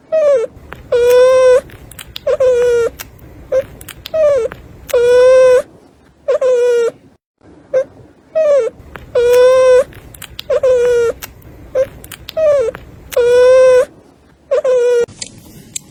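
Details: A newborn puppy born by caesarean section, no more than four days old, whimpers repeatedly: about a dozen steady, tonal cries, each with a short falling start, some brief and some drawn out, in a quiet room.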